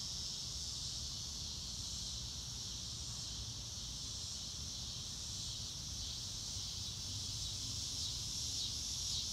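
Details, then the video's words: Crickets under a clear blue sky, recorded in real time without music: a steady, dense high-pitched shimmer of insect chirping with no clear gaps, over a low rumbling background. "Relaxing Clouds in a Blue sky and Nature Sounds - Real Time - No Music - Meditation - Crickets"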